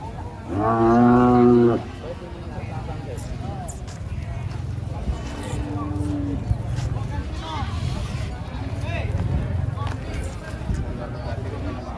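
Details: Angry cow unloaded from a truck gives one short, loud moo of about a second, followed by people talking over a low engine hum.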